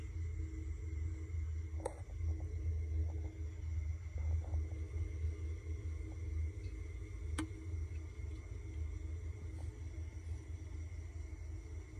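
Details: A steady low rumble and faint hum fill a quiet indoor space, broken by a few sharp clicks, with no animal calling.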